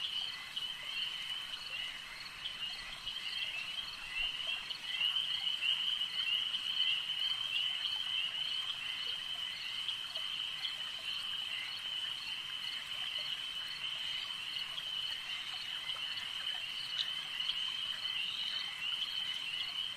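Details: Frogs at a lake keep up a constant shrill, buzzing chorus, thick and even from start to finish, with brief brighter chirps poking through now and then.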